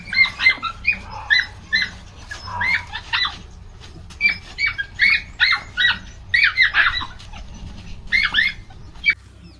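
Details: Belgian Malinois puppies at 50 days old, described as high prey drive, in Tamil Nadu: a string of shrill, squeaky yelps and squeals in short overlapping bursts, several voices crowding together with barely a pause across the clip.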